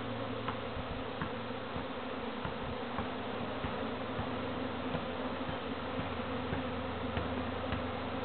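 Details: A steady, dense hum of many visiting honey bees buzzing together, with brief clicks scattered through it; a beekeeper later rehomed them.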